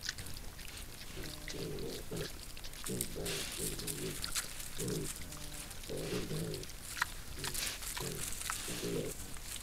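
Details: Wild boar sow and piglets in a forest in Sologne, France, filmed by a camera trap: bursts of low, harmonic grunts in quick series, with rustling and crackling undergrowth throughout.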